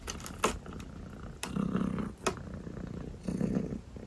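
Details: Purring sleepy calico kitten, soft low rumble rising in breathy swells, interrupted by a few sharp clicking sounds.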